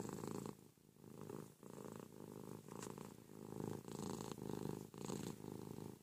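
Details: Morning in bed: Ruby the cat snuggles with her owner and purrs loudly, a low buzzing rumble pulsing in roughly one-second phrases separated by short breathing gaps.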